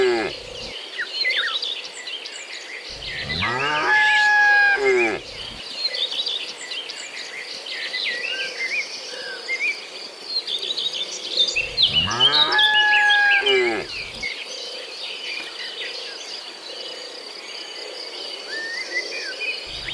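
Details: A herd of tame cattle heading out from their shed along a hilly road toward grassland, led by a herder. Two drawn-out lowing moos about eight seconds apart, with busy birdsong throughout.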